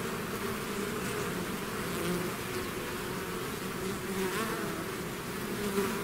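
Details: Swarm of bees out of its hive, a dense steady drone with layered hum bands and constant loudness, individual wingbeat tones rising and fading within the mass.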